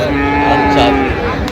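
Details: Friesian and crossbred calves bought at Raniganj market, Dinajpur, 25 January: one short, steady, even-pitched moo lasting about a second over a noisy background of people.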